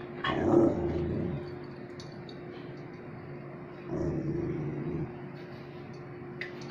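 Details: Dog giving two deep, rough, growling barks, each about a second long and roughly three seconds apart, over a steady low hum with a few light clicks.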